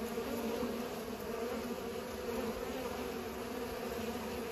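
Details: Bees pollinating, a steady continuous buzzing hum with bright bands around the low-middle range, unbroken throughout without pauses.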